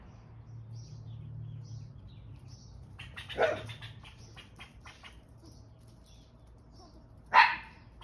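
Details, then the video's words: Italian Greyhound on squirrel patrol giving two sharp, single barks several seconds apart, with faint high chirps repeating in the background and low hum underneath. "Squirrel Patol"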